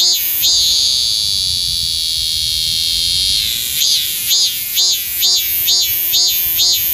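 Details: Cicada, locally called maemi, calling loudly to attract females in a university garden in Sejong, South Korea; a shrill, steady buzzing drone for about three and a half seconds, then breaking into rhythmic pulsing surges roughly twice per second.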